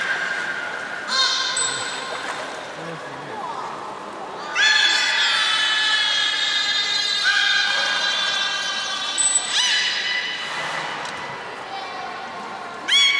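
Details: Beluga whales in an aquarium pool at Port of Nagoya Public Aquarium, 30 March 2019, eating fish and playing afterwards. Long harmonic squeals in several drawn-out bouts, with short upward chirps between them.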